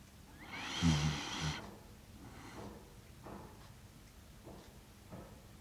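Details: Sleeping Shiba Inu Kaki-Maru, aged six years and one month, recorded in Rotterdam, Netherlands, on 30 September 2025 with a DJI Mic Mini: one soft, breathy snore rises early, followed by faint, quiet breaths.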